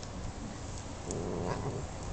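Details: Young female Norwegian Forest Cat in a backyard growling to defend a dragonfly she has caught. A low, rough, rumbling growl with layered low tones swells in the second half.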